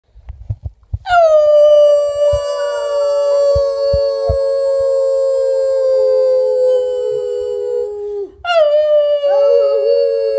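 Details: English Mastiff howling: a long sustained tone starting around one second, rich in harmonics, held steady and slightly falling for about seven seconds, then a brief break and a second howl rising again near the end.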